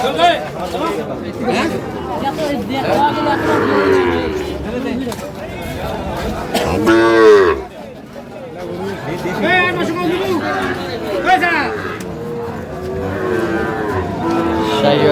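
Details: Market scene in Madaripur on 26 March 2025 as a farmer buys a Sahiwal bull calf: a strong, arching moo bursts out near seven seconds, with fainter bellows before and after amid loud crowd chatter.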